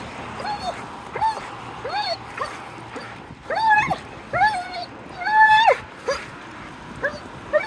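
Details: Dog making odd vocal sounds: a series of short, clear, arching whines and yelps around the middle of the range, some long and drawn out, spaced irregularly over quiet background.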